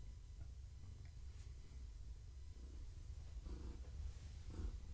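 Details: Gaia, a pregnant long-haired tabby cat, purring indoors in the evening while being petted and scratched; a low, steady rumble with breathing swells near the end, set against a quiet room.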